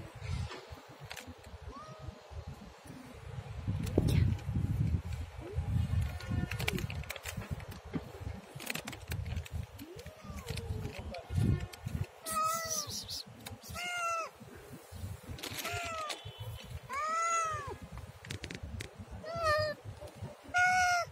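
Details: Siamese cat with short, arched meows coming faster in the second half, several in quick succession, over rumbling low background noise and scattered clicks and knocks in the first half.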